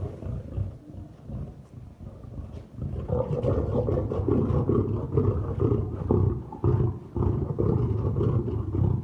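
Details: Male lion charging: a quieter opening, then from about three seconds on a loud, rough, broad roaring growl that surges in repeated pulses until the end.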